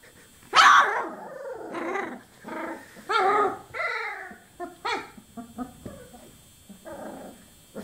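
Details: Twenty-four-day-old chocolate Labrador Retriever puppies producing a loud opening squeal followed by a string of short harmonic yelps, growly grunts and squeaky whines, irregularly spaced and fading toward the end.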